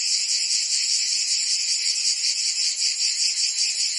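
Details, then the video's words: Cicadas singing in southern France's Provence during summer, a short stretch of intense, sizzling high buzz with gentle rapid throbbing. "Cicadas singing in France (Provence)"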